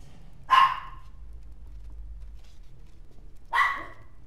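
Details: A white and tan mixed-breed dog giving two short, sharp barks about three seconds apart, with quiet low background hum between them.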